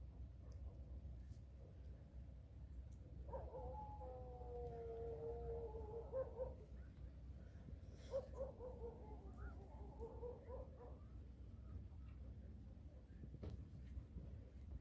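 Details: Orange cat in a funny compilation giving two long drawn-out meows, the first steady for about three seconds, the second wavering and shorter, over a low background rumble.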